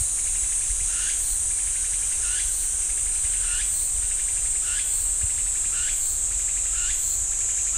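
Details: Pine forest at Ssanggyesa temple in Jirisan National Park, where cicadas keep up an unbroken high-pitched buzz while a lower upward-sweeping call recurs about every 0.8 seconds.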